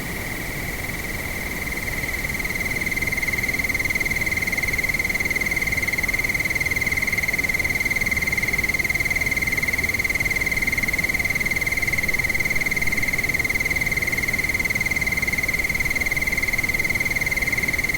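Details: Crickets calling at nightfall amid wind: a loud, unbroken, high-pitched pulsed trill with faint overtones, growing louder over the first few seconds, with steady wind hiss beneath.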